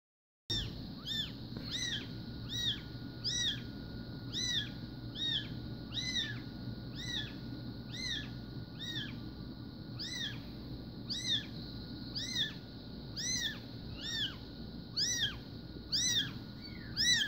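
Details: Newborn SBT Bengal kittens, born 04/02/2016, give high, arched mews repeated roughly once a second in a steady string over a low, constant background hum indoors.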